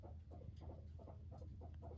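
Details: Indoor pet guinea pig Max approaching its owner with a soft, low vibrating purr, a continuous buzzy rumble broken into quick regular pulses.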